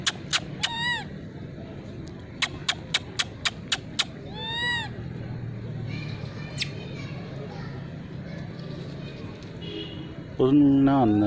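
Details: Wild monkeys gathering for food in the Margalla Hills, fed sweet corn by hand, give brief rising-falling squeals, sharp clicks and a louder, lower drawn-out cry near the end, over human voices and outdoor chatter.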